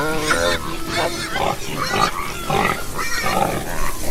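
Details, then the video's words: Pigs grunting and oinking in short, nasal bursts roughly every half second, each with stacked tonal overtones, steady and close throughout. "Ouça o som dos porcos - Porco - porco roncando - som do porco"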